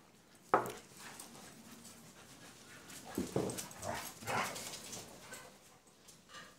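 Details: German Shepherd and Husky dogs: one sharp, loud bark-like burst near the start, then a cluster of shorter, rougher barks and yelps through the middle, with a quieter noisy background between them.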